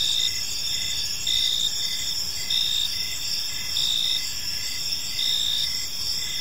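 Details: On a peaceful park evening, crickets produce a bright, high shimmering trill, with strong pulsed chirps repeating about once a second against quiet low-frequency background sound.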